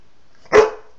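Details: A dog doing tricks gives one sharp, loud bark lasting about a quarter second, with broad noisy energy, against an otherwise quiet background.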